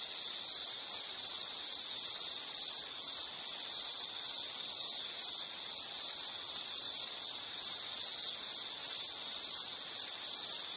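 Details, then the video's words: Unbroken shrill insect trill lasting the whole stretch, slightly pulsing but otherwise constant in pitch and loudness, with a faint higher buzz and no other sounds. "Sound · Nature Sound of nature sounds scenery L · insect"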